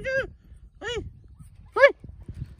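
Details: Siberian Husky lets out three arched, whiny yelps, each rising then falling in pitch, spaced under a second apart, the last the loudest. Soft knocks follow, and a person says "hey" just beforehand.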